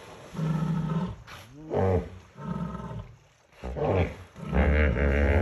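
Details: Three lions on the bank of the Talek river in the evening, drawn by the smell of a hippo carcass, give deep, moaning roaring bursts in a calling contest with grunting, bellowing hippos.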